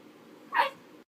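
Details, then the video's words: Tipsy, a pet dog, gives one short, sharp yip-like bark in the middle, a single quick burst over a faint steady background hum. "Tipsy the dog"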